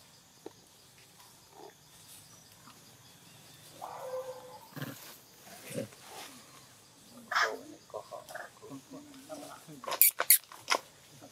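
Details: Newborn baby monkey Brianna crying and calling for its mother while Rose tries to take her away; short tonal wails in bursts, a sustained mid-pitched cry around four seconds and clustered cries later, with sharp clicks and voices nearby.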